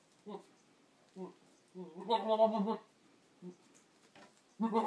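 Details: Boer buck talking to goats on 22 October 2013: short low grunts, then a long quavering harmonic bleat, more grunts and another bleat starting at the end.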